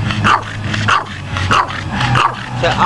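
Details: A female Boston Terrier playing in water 'talks' in short, moaning yowls, repeated every half second or so, asking for water.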